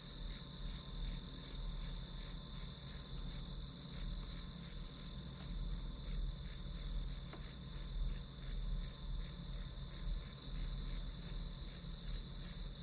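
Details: Ringing insect calls from grass, played as study white noise: bright, high pulses repeat steadily near three per second, with a constant faint upper buzz and low background rumble.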